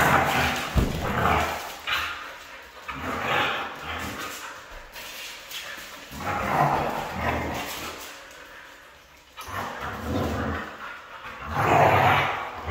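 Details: Red female Siberian husky giving several drawn-out, moaning vocal bursts with a harmonic edge, spaced a few seconds apart with short quiet gaps between them, in a slightly echoey indoor-sounding space.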